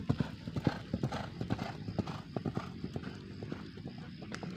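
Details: Racehorses in morning training at the H.M. Hasan Gayo racecourse in Takengon, Central Aceh, Indonesia, ahead of the Gayo Derby 2023: quick, uneven hoof strikes, roughly two per second, over a low background rumble.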